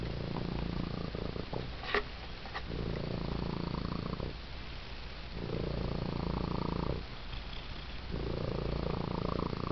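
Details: Male domestic cat with six toes on each foot purring raucously while receiving attention, like an idling chainsaw: a deep, rough, continuous rumble swelling and fading in breath cycles roughly every one and a half seconds, with a couple of faint clicks.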